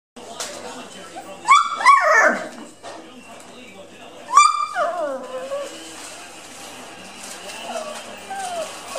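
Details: Dandie Dinmont Terrier puppies, seven weeks old, playing and ripping crumpled newspaper to shreds; two short high yelping whines near 1.5 and 4.5 seconds, with rustling paper, background voices and a faint squeak later.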